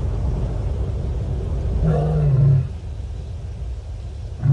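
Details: One deep, drawn-out moan from a lioness calling to make contact with other lions, recorded by the Nkorho Bush Lodge live camera on 30 September 2021, with a steady low rumble beneath and the start of a second call at the end.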